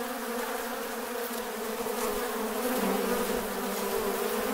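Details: Many Western honey bees on a bee farm hum together with wing buzzing, a steady droning buzz with a low, even pitch.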